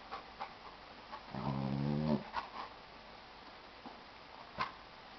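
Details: A Jack Russell Terrier puppy playing with a gentle, large Chesapeake Bay Retriever: one drawn-out, harmonic playful growl lasting about a second, with scattered soft yips and scuffling sounds around it.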